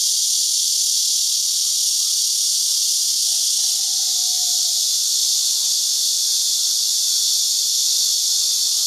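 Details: Many cicadas singing together from tree trunks and branches inside a chicken farm and fruit orchard ranch in Houbi District, Tainan, Taiwan, heard only in this season, recorded on a digital camera; a dense, steady, high hiss-like drone fills the whole recording without a break.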